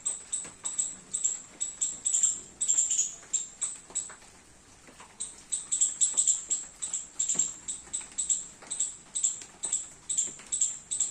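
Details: Squirrel feeding on baby coconuts while rain falls in a garden: rapid high-pitched chips in long runs, broken by a short pause, then resuming, with scattered clicks and patter.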